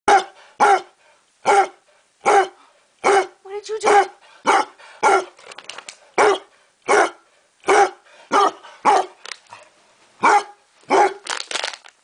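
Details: Otto, a basset hound, barking loudly and repeatedly indoors: deep, harsh single barks spaced about half a second to a second apart, about sixteen in twelve seconds, with a few softer huffs between them.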